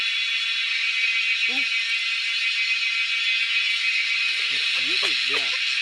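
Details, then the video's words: A dense, shrill cicada chorus in the wild buzzes continuously at high pitch while people hunt the insects; short bursts of human voices break in near the middle and again toward the end. "Hunting cicadas || Making crazy noise in the wild yet drawing our eyes to catch them."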